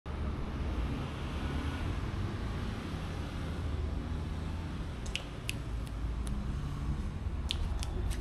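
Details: Steady low vehicle rumble fills the whole recording, with a few sharp clicks near the end and no animal voice.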